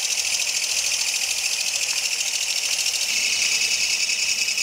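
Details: Kayakiri katydid in night grassland in midsummer: a loud, steady, hissing buzz pulsing rapidly and evenly, dense and high, with no other clear sounds.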